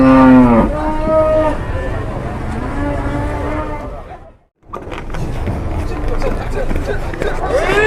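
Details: Cattle in a pen in Indonesia, a cow that collapsed suddenly and then became aggressive: a loud harmonic moo opens, then a second lower drawn-out moo around two to three seconds, a brief silent gap, then background noise and faint voices.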